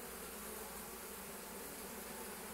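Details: Honey bees flying in one after another with full pollen loads, foraging on willow on a March morning; a continuous thick droning hum from many bees at the hive, unbroken throughout.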